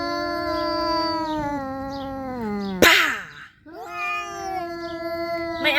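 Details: Fight between calico cats, a young cat against a mother with kittens: a long harmonic yowl sagging lower, then an explosive spit or hiss, a short silence, and a renewed steady wail, with a woman speaking.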